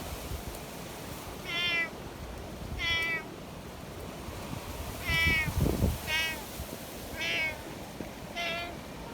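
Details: Community cats in the mountains during a windstorm meow repeatedly: six clear, wavering mid-pitched meows spaced one to two seconds apart over rumbling wind noise and a brief thump.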